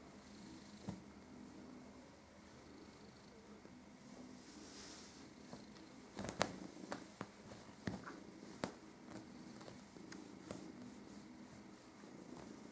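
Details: Indoors on the bed, a cat tussles with an invisible foe, its continuous low purring humming underneath while rustles and sharp bumps from the bedding break in during the second half.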